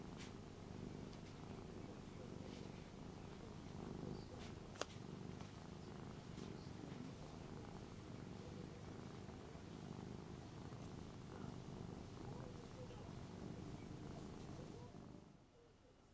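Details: Lonely three-year-old Ragdoll at home, lying down to seek attention while a bag is packed for Hong Kong; Panasonic LUMIX recording. Long, steady low purr with one brief click midway, fading out near the end.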